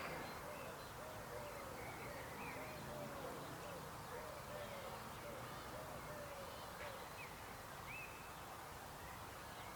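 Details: Croaking frogs, a chorus of short, rising-and-falling mid-pitched notes repeated in a quick, uneven rhythm, with a few higher chirps over steady outdoor hiss.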